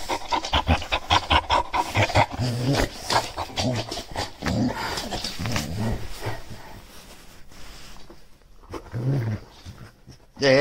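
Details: Shar Pei growling and sneezing: low, rough rumbling growls broken by snorting, breathy bursts, loud at first and then fading into quieter snuffling, ending with a sudden loud noise.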